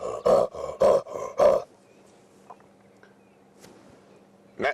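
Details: A leopard's rasping, sawing call on a cold sunrise safari drive: five hoarse, deep grunts in quick rhythm, about two per second, then quiet with faint background hum and a soft click.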